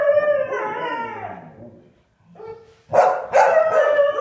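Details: Siberian husky Sky in a howling trio with springer spaniels Marshall and Sadie, set off by a spaniel pestering him. A sustained wavering howl fades to near silence, then loud harsh yelping howls burst in together.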